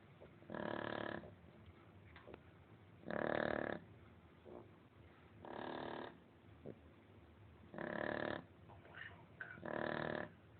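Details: Lolita the Shar Pei asleep and snoring: five rough, rattling snores arrive at an even pace about every two seconds, broad and raspy, with soft faint ticks between them in a quiet room.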